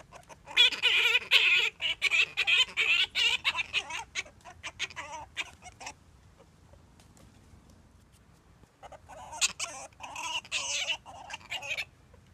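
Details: Gelert, a male grey-headed flying-fox, sings to Diva after scent-marking his nook: harsh, buzzy harmonic squawks in rapid, uneven bursts for about five seconds, a quiet pause, then another burst of rasping, wavering calls.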